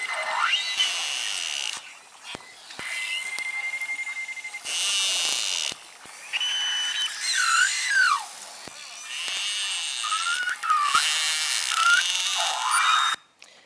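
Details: Beluga contact calls in a quiet High Arctic summer area where Baffin Bay belugas bring calves: loud, broadband, stereotyped pulsed bursts, repeated in the same pattern, standing out over softer background chatter of other belugas.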